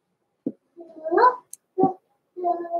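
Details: Blenheim Cavalier King Charles Spaniel puppies, born November 14, 2022, indoors in a breeder's puppy pen: a short yip, then a drawn-out wavering whine rising and falling, and another sharp yelp before a steadier nasal whimper.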